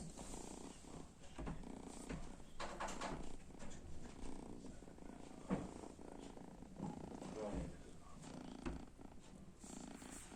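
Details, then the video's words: Kitten asleep in front of an oven, snoring in soft, low rhythmic breaths with a purring quality, steady through the recording, with faint clicks and light room noise around it. "Cute Kitten is sleeping in front of the oven with snoring"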